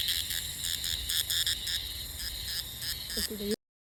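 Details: Cicada recorded by the filmer, species not named: loud pulsed, harmonic-rich buzz in rapid rhythmic bursts, about three per second, that cuts off abruptly near the end.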